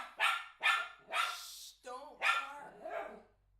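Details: Young pet miniature schnauzer, eight months old, reacting to a toddler's ball at home: four rough, rapid barks about half a second apart, broken by a tonal, whine-like sound, then a softer final bark.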